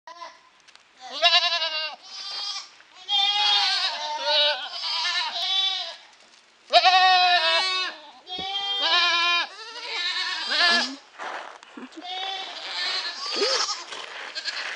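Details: Several goats spending the evening together, bleating almost continuously: wavering, nasal calls overlap and follow each other irregularly, about thirty a minute, some long and quavering, others short, with brief quiet gaps between bursts.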